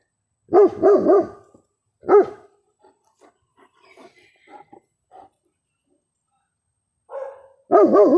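A German Shepherd gives deep, wavering barks in short bursts, answering a neighbouring dog.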